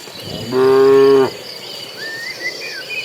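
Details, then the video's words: A cattle herd heading to green grazing land. A single loud, steady, tonal moo lasts under a second, then a short bird whistle sweeps upward over soft background hiss. "Suara sapi lucu riang gembira"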